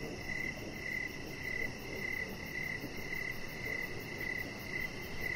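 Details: Crickets chirping outdoors in the evening beside a deck: steady high chirps, about two per second, over soft low background rumble.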